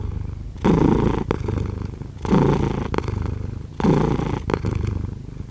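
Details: Cat purr in slow waves: three louder surges about every one and a half seconds, each a throaty rumble that fades to a quieter hum between breaths.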